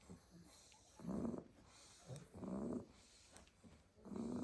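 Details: Snoring Staffordshire Bull Terrier puppies piled in their basket after a full day outdoors in the garden; three drawn-out rasping inhales with a nasal whine rising through each, separated by quiet pauses.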